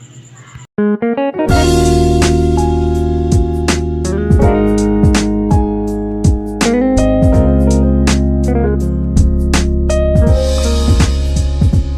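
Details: Plucked guitar and bass music plays throughout with sliding notes, and no animal sounds.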